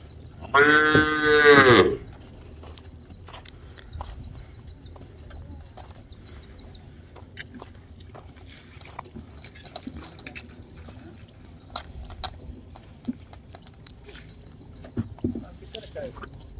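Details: Cholistani cattle offered for sale, including a five-month pregnant heifer and a recently calved cow yielding seven kilos of milk; a single loud, rich moo of about one and a half seconds opens, then quiet farmyard background with faint knocks.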